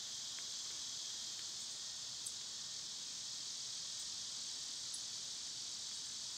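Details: Summer cicada chorus, loud at this time of year: an even, continuous high-pitched buzzing hiss that never pauses, with two or three brief faint chirps above it.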